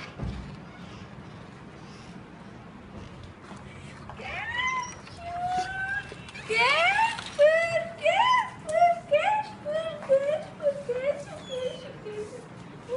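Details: Casper, a four-month-old Golden Retriever puppy, greets its owner after four days apart. After a quiet start, high whines and yelps rise and fall, arriving in rapid excited bursts over faint indoor room noise.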